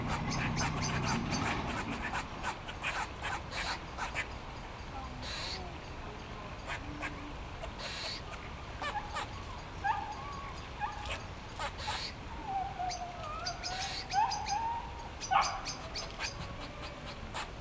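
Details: Eastern gray squirrels in trees at the Botanical Gardens in Sheffield, several waving their tails and calling in display: rapid dry chucks at first, then drawn-out nasal moaning calls that rise and fall, with faint background rumble.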